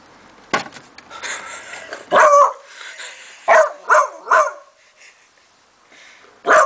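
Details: Beanie, a Beagle, reacting in the morning to a singing treat jar given as a present, investigating it warily; a sharp yip, then a drawn-out bay, followed by three quick barks and another bark at the end.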